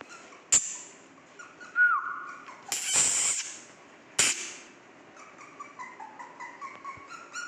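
A Cocker Spaniel puppy gives thin, high whines that rise, then hold or step downward.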